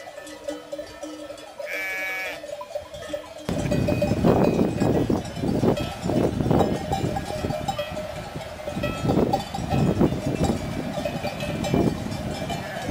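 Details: Mixed sheep and goat herd at Col du Galibier in the Alps, France. Sheep bleat in short, harsh bursts through a steady ringing of many bells. A loud broadband rush begins after about three seconds.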